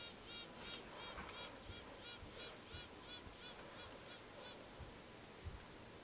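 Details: A newly bought honey bee queen piping inside her cage: short repeated tonal pulses with stacked harmonics, about two to three per second, over a low steady background hum.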